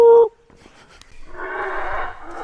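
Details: Monkeys heard all around visitors walking at the Maya site of Tikal, Petén, Guatemala, give a deep, rough, rolling roar that swells and carries like a distant growl, likened to a jaguar purring.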